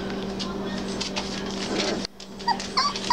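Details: Young Basset Hound puppies at three weeks old: a low steady hum and murmur gives way after a sudden drop to thin, high rising whimpers and squeaks near the end.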